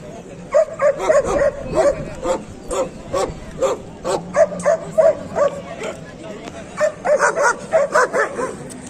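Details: Dogs at a dog market in Kohat, Pakistan, including Pakistani bully dogs and German shepherds, recorded 28 November 2021; rapid runs of sharp mid-pitched barks, several dogs overlapping, with human voices mixed in.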